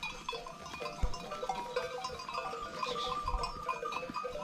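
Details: Akkaraman lambs, newly separated from their mothers, calling for them on a farm; repeated short wavering bleats with a harmonic, nasal tone follow one another through the stretch, with low rustling and thumps of farm activity underneath.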